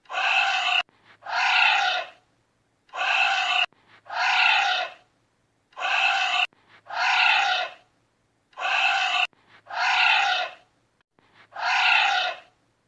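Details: A giant anteater gives loud, harsh, harmonic calls in paired bursts, repeated every few seconds.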